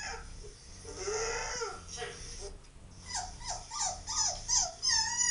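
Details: Whining husky puppy with Labradors reacting: a wavering whine followed by a quick run of short falling whimpers, over constant hiss, voices faintly present.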